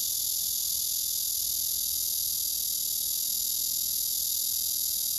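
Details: A male blackish cicada gives a loud, unbroken, high buzzing drone as a courtship song to an unresponsive female below, who later pushes him away and rejects him.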